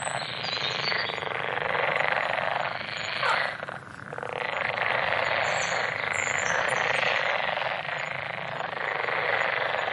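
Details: Frogs calling together in a dense, continuous chorus, a rasping wall of sound that dips briefly near the middle, with faint high bird chirps above it.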